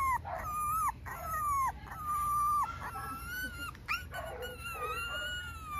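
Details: Small male Italian Greyhound puppy whining: a run of drawn-out, high, tonal whines, each sliding down then holding steady, separated by brief pauses, with a few shorter yelps near the end over quiet indoor background.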